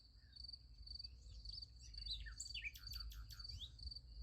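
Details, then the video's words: Shrill, rhythmic cricket chirring at night near a sunflower field, with a flurry of quick downslurred bird chirps crowding in during the second half. "Relaxing Night in Nature Beside the Sunflower Field. Nice Sunflower Field with Crickets Sound Effect"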